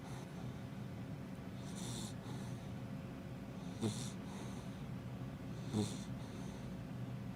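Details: Female Labrador Retriever named Happy, close to five months old, in an old-man snore: two quieter rasping snorts roughly two seconds apart, fainter breaths between, against a low steady hum.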